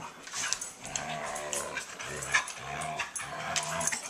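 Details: Siberian Huskies playing, five dogs together: low, rumbling play growls in short repeated bursts, with occasional higher whining and scuffling sounds throughout.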